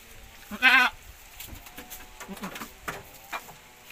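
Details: A Javanese-Boer cross goat gives a single short, loud, tremulous bleat, followed by quiet rustling and shuffling sounds.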